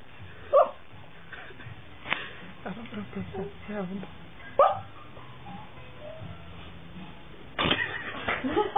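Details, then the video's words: Puppy crying in its sleep during bad dreams: short, high, tonal whimpers and squeaky cries scattered across the stretch, with soft breathy sounds between and a sharper burst near the end. "Dog is crying in sleep"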